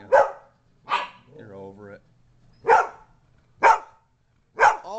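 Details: Poodle confronting two pit bulls, barking in short sharp bursts, five barks spaced roughly a second apart, with a person's voice talking in the gap between barks.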